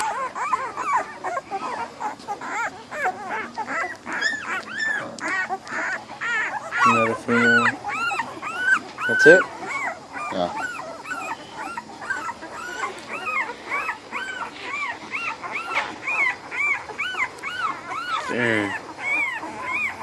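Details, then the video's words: A litter of American Bully puppies, both males and females, from an ABKC champion bloodline keeps up dense, high-pitched arching whimpers and squeals throughout. Brief human voices and handling noises break in a few times. "American bully puppies"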